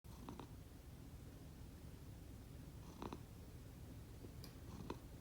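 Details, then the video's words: Domestic cat, one of two rescued housecats named Konbu and Myun, snoring while asleep indoors; a steady low rumbling breath drone runs throughout, broken by a few brief soft higher snuffling bursts. "Snoring cat 猫のいびき"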